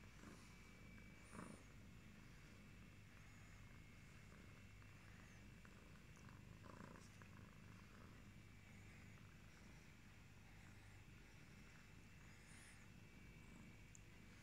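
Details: A yellow British Shorthair cat purrs steadily, a low continuous rumble with a soft pulsing rhythm.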